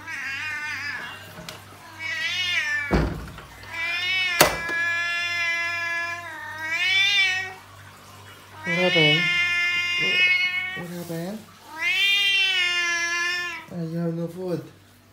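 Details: Chester, a pet Siamese cat, gives a run of loud, drawn-out meows, some rising and falling, several in quick succession with short pauses, while a person talks to him indoors.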